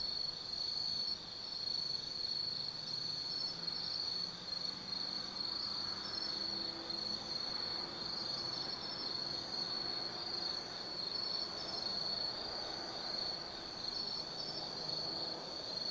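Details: Autumn night insects chirring in Tsukimi no Mori forest, Gifu, Japan: a constant high shrill band with faint intermittent trills, and a low distant rumble like traffic from the plain below.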